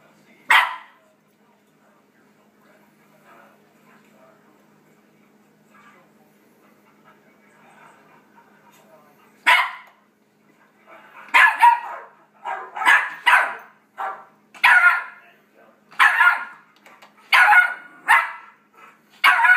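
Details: Four-month-old Yorkshire Terrier puppy indoors barking excitedly at dogs barking from a computer; one bark, a quiet gap of several seconds, then a burst of sharp, high yappy barks in quick succession, about one every half second.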